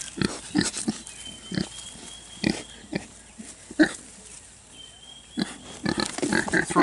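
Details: Two-week-old Kunekune piglets on a hot day give short, clipped grunts in irregular bursts, some in quick pairs. A thin steady whine runs underneath, and a woman's voice speaks nearby.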